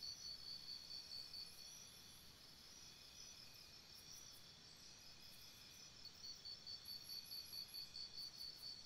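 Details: Crickets chirping at night by a campsite: a steady high-pitched chorus of rapid, pulsing trills with faint higher chirps above, over a soft low hiss.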